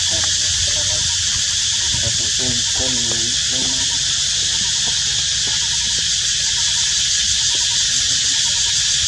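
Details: In high temperatures, thirsty baby monkeys call their mother for water with wavering, harmonic whimpering cries over a steady insect-like hiss; finding: monkey.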